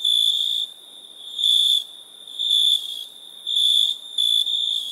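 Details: Nighttime cricket chorus of shrill, high pulsed chirps arriving in bursts about once a second, each burst loud then dropping back to a softer continuous trill underneath.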